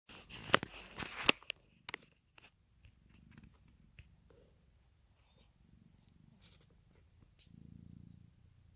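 A domestic cat purrs in a low, steady rumble beside a sleeping baby's soft snores.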